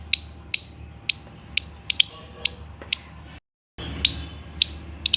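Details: Squirrel calling in sharp, high, clicky notes about two per second, broken by a brief pause.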